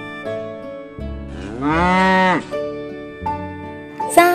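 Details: A yellow cow, a farm animal that eats dry straw, lets out a single drawn-out moo that swells and then bends downward over steady children's music.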